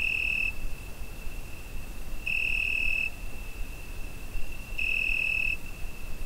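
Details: Crickets on a summer night, recorded with a Zoom H5: a steady high-pitched trill runs throughout, swelling into louder ringing bursts under a second long at about 2.5-second intervals, over a soft low background hiss.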